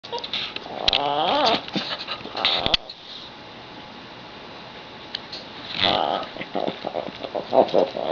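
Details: A dog making its peculiar noise because it wants whatever another dog has, such as a toy or bone: rising and falling whiny, nasal cries in quick bursts, followed by quieter snuffling and shuffling noises indoors.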